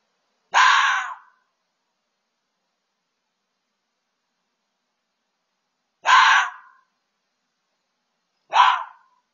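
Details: Fox making a loud racket: three harsh, raspy barks, each lasting under a second, the second coming about five seconds after the first and the third two and a half seconds later, with silence between.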